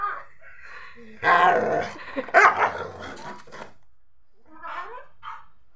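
A Rottweiler puppy gives a burst of harsh, whiny barks and yips, then softer whimpers.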